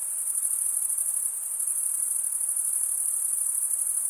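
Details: Chirping crickets, their wings scraped together to stridulate, make an unbroken high, thin ringing buzz with a finely pulsed texture that holds even in loudness throughout, over a quiet background hiss.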